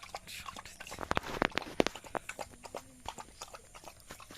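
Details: Village dog chewing rice up close, with loud crunching smacks early on, then quicker, lighter clicks of mouth and tongue, uneven in rhythm.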